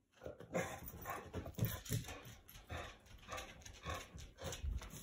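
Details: A Staffordshire Bull Terrier, unusually vocal in the evening, gives deep, gruff barks and grumbling vocal bursts in quick succession to get its owner's attention.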